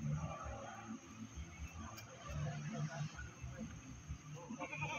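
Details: Goat brought to the Pakis livestock market near Malang, giving short wavering bleats amid a busy crowd of talking people and low rumbling background noise.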